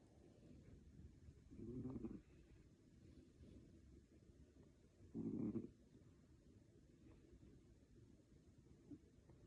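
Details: Snoring cat: two low, rough rumbling breaths about three seconds apart, over a faint steady background hiss.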